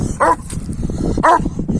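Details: Kangal males pursuing a female dog give two short, high whining yelps about a second apart over low rumbling background noise.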